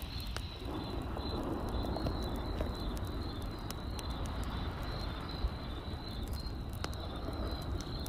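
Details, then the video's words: Night crickets give a continuous run of high, evenly pulsed chirps while a campfire crackles and snaps beneath, with a heavy low roar filling the background. "Cricket Sounds by Night"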